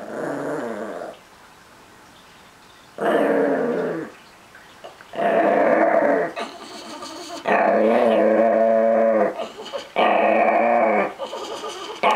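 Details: Chihuahua and Miniature Pinscher mix, a small dog possessive over his treats, growls in long sustained rumbling bursts of one to two seconds, with short quiet pauses between them and rising intensity toward the end.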